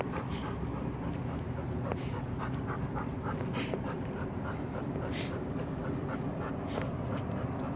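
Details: Steady, rapid breathing from Pepper, a black Golden Retriever, with a few sharper breathy bursts standing out above a constant low-pitched background hum.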